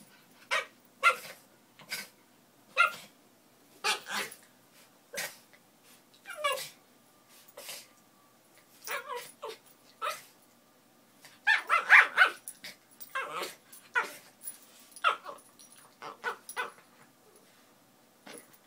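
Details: Min Pins playing, giving loud sharp barks spaced about a second apart, then a noisy burst of overlapping snarls and yips, followed by more scattered barks.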